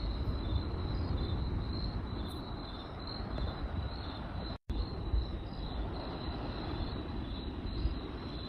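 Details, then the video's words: Night crickets keep up a continuous high, finely pulsed trill over a loud crackling campfire. A brief total silence cuts in near the middle. "Crackling Fireplace & Cricket Sounds by Night"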